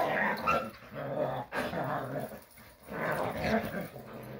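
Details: Jindo dogs playing in Korea's countryside let out rumbling play growls and breathy snorts in two swelling bursts, with a faint human voice in the background.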